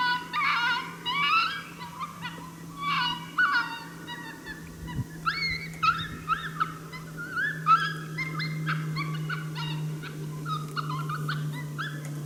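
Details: Unseen coyote barking at St-Andrews, 1 March 2019, displeased by a hunter nearby: clustered yelping barks with rising, bent tones in irregular bursts every second or two, a single thump near five seconds, and a constant low drone beneath.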